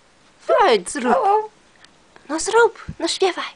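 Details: A male Maltese dog sings in two bursts of high, warbling, voice-like howls that rise and fall, almost like a spoken "hello"; a quiet room otherwise.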